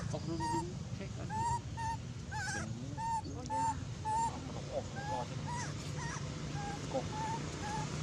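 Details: An abandoned monkey crying loudly, giving a steady series of short, high, whimpering squeals roughly every half second to second, some wavering. Brief harsh noises mix in, with a continuous low hum behind.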